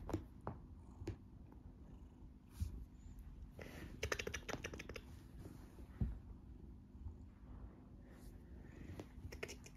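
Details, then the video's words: A golden tabby Scottish Fold cat purrs loudly and stays calm while being played with and teased, a steady low rumble broken by soft clicks and knocks. Recorded 19.11.2020. "Huge Scottish Fold Cat Purring Loudly While Played With"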